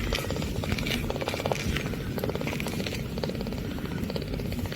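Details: An 8-day-old Munchkin kitten purrs for the first time, a steady low rumbling drone with a soft, rapid pulse.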